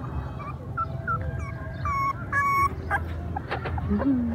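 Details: Puppies playing and crying: high, thin whimpers and short whines rise and fall in brief tonal bursts, some held steady for a moment, over a low rumbling background.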